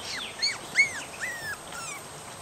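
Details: Mooney and Jordi's three-and-a-half-week-old puppies, woken from deep sleep and placed in the yard, wanting their mother to feed them. Four or five clear high whines, each bending up and down, follow one another in under two and a half seconds.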